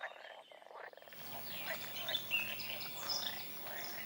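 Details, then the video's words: Wild frogs calling outdoors: a rapid pulsed rattle for the first second, then a dense, steady chorus of overlapping croaks with brief high whistled notes rising above the din. "Toads & Frogs in the wild"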